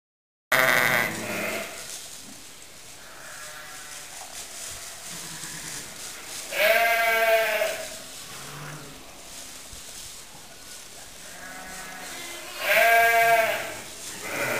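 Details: Lamb a few days old romping in the hay: three tremulous, wavering bleats, one at the start and others near seven and thirteen seconds, with quiet rustling between.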